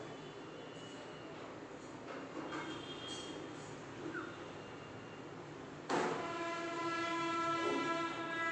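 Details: Rumbling rail traffic with a sudden loud train horn blast partway through, sounding in tonal bands over clattering wheels.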